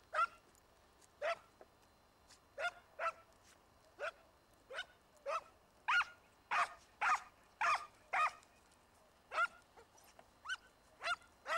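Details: Segugio Italiano scent hounds in pursuit of a hare in an Italian vineyard: clear, ringing baying yelps with a rising-falling shape, delivered roughly once a second in an uneven rhythm, with some cries overlapping.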